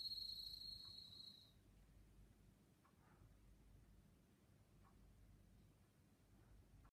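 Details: A bell cricket at a pharmacy in Funaoka-cho, Date, Hokkaido, Japan, on 27 September 2017, near the end of its season, sings a pure, high, bell-like ring lasting about 1.5 seconds, then faint hum and clicks.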